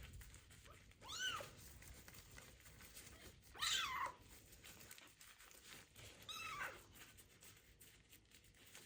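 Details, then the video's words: Bathing an abandoned kitten with ringworm for its first time: three separate, fairly quiet meows, each a quick rising and falling cry, spaced about two to three seconds apart with soft background noise. "First bath for a kitten found with ringworm that was abandoned on the street / meows loudly"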